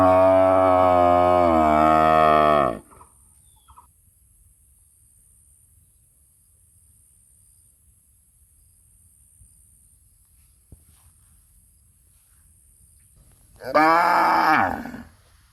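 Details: Cows in a quite beautiful village, running and mooing out of fear of being alone. A steady, rich moo lasts nearly three seconds and ends with a drop, followed by a long quiet gap and a shorter bellow near the end.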